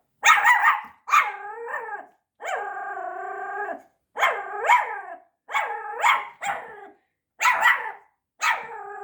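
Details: Ponki, a five-month-old Pomeranian puppy frightened by a tiger toy indoors, gives a series of sharp high barks in bursts, then one long, steady, whining howl, then more clustered barks; music is faint in the background.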